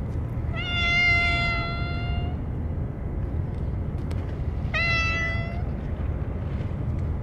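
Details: Stray cats crowding in for a churu-only feeding, with the usual Kalkan and plates left behind; a long wavering meow nearly two seconds long, then a pause and a shorter second meow, over low background hum.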